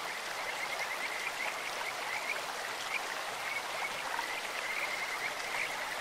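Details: Kajika frogs calling in a clear stream: faint, high trilled notes in repeated short runs over a steady wash of flowing water.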